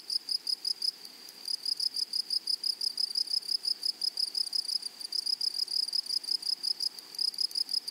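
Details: Continuous high, ringing chirps from grasshoppers in a flowering meadow, pulsing fast and fairly evenly, a brief lull near the first second, with low background hiss.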